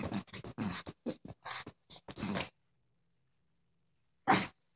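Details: A female Boston Terrier acting tough gives a rapid string of short, gruff grumbles and snorts, then one sharp huff.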